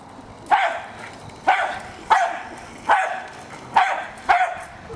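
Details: Jack Russell Terrier named Hali, a pet dog attacking a remote-controlled toy car, gives six sharp, high barks spaced roughly a second apart, each a quick bright burst with brief quiet between.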